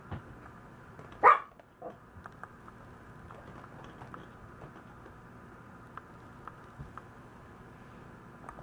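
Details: A Maltese dog that feels the cold gives a single sharp, loud bark early on, followed by a softer short yip, then quiet room background with faint ticks.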